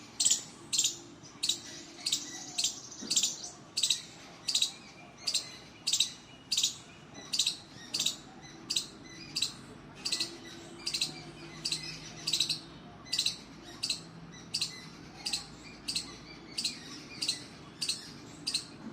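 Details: A squirrel in the trees gives sharp, high chirps, repeated steadily about every two-thirds of a second.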